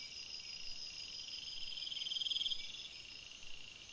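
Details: Crickets in a forest at night: a steady high shimmering chorus, with one louder pulsed trill rising out of it for under a second before fading back into the continuous insect hum.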